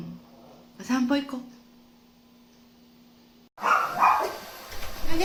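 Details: Dog barking on a cool morning walk, from a multi-dog household with a complaining Shih Tzu and a lively Miniature Pinscher; a quick burst of short, sharp barks, then rustling handling noise and loud thumps.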